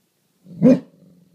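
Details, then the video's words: Indoor watchdog Great Dane barking at a garbage can while guarding the house: a single deep, booming bark rising out of a low growl and trailing back into rumbling. "Great Dane watchdog"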